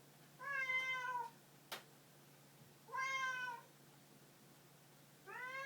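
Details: Pet cat calling three times, rich, slightly rising-then-falling meows about two seconds apart, with one sharp knock between the first and second calls.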